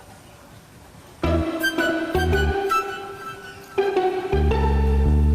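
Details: Plucked string music starting after a quiet second, with bass notes and sustained tones, no animal sound.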